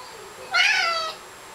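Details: Maine Coon, a 16-pound male, giving a small, babyish meow: one short, clear, high mewing cry lasting about half a second against a quiet background.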